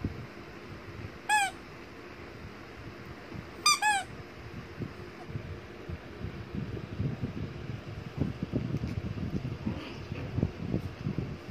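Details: Shih Tzu puppy, small like a teacup, gives one brief high squeak and then a quick pair, followed by several seconds of shuffling and handling noise in a small room.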